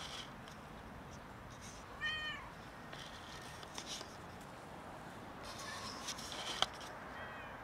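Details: An unwell cat, unable to eat, gives one short arched meow about two seconds in, falling slightly at the end, followed by soft rustles and a few faint clicks against low background hiss.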